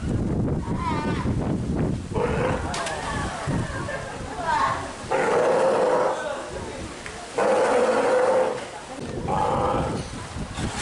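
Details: At Marinpia Nihonkai aquarium in Japan on an overcast 12 July 2023, a ten-day-old Steller sea lion pup stays beside its nursing mother. Rough, droning bawls of about one second sound four times, with human speech early on and a constant background hum.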